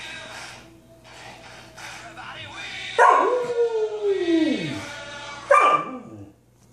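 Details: Female Samoyed puppies howl along to Queen's "We Will Rock You": two strong howls rise sharply then glide down with a rich, wavering tone, with softer yips and voices before the first; her sister wakes to join in.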